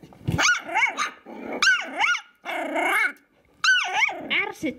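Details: Kooikerhondje puppies, five weeks old, playing roughly with each other, giving loud high yelping whines that swoop up then down, in bursts separated by short pauses, with some growling underneath.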